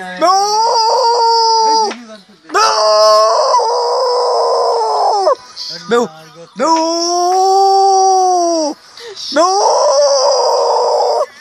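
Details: Dog howling in four long, drawn-out notes of roughly two seconds each, separated by short gaps. Each note holds a steady, rich tone that swells and then drops away at its end.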